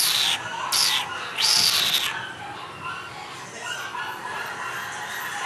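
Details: Female Miniature Schnauzer puppy with a salt-and-pepper coat. Thin, high whining squeaks come in three short bursts over the first two seconds. Quieter indoor room noise follows.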